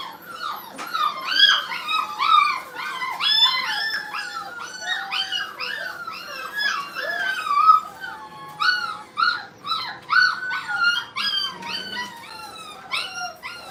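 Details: Brittany puppies at play in a training kennel keep up a steady run of shrill yips and whining squeals, pitched high and layered, with many voices overlapping throughout.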